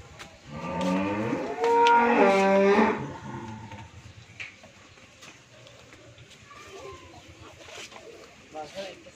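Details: Friesian heifer, one of ten improved-breed heifer calves aged 13–14 months on a dairy farm in Bhangura, Pabna, Bangladesh, gives a loud, rich, harmonic moo lasting about two seconds, rising then holding steady, followed by quieter farmyard background and faint chirps.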